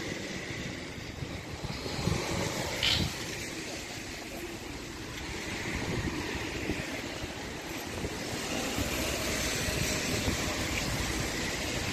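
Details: Steady rumble of passing vehicles and wind, with a brief bump near three seconds and no animal voice.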